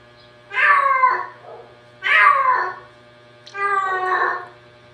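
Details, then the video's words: Pet cats described as talking give three long harmonic meows about every one and a half seconds, the last flatter and more nasal, against a steady low hum. "our cats is talking"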